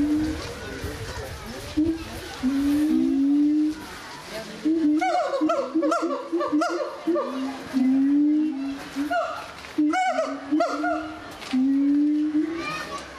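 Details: Gibbons singing at the Zoo de Doué la Fontaine, France, in 2010: hooting notes that slide up and down, layered with rapid, higher whoops that climb in short bursts, several voices overlapping in a loud chorus.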